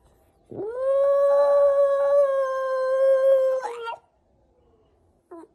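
A Shiba Inu gives a long, steady howl that rises quickly, holds, then breaks off with a short yelp.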